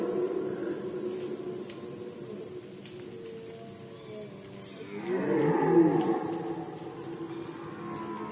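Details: Red deer stag in rut, Poland 2020: quiet, wavering moans, then from five seconds a loud, coarse roar with falling groans, over a rapid high-pitched rhythmic pulsing.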